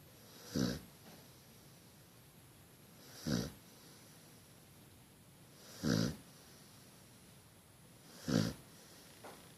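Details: Pet dog wearing a cone head bandage, snoring while asleep: low, rasping breaths recurring roughly every two and a half seconds, four snores separated by quiet pauses.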